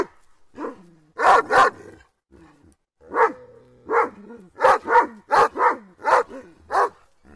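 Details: Several Kangal dogs attacking something, barking in loud, harsh bursts, often paired, irregularly spaced across the clip, with quieter growling and short gaps between volleys.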